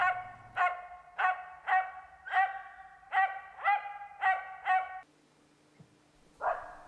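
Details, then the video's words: Norrbottenspets hunting dog barking during a hunt: a fast run of eight sharp, ringing, harmonically rich barks roughly every 0.6 seconds, then a brief quiet pause and one more rougher bark at the end. "Pystykorvat metsästyksessä - Pohjanpystykorva"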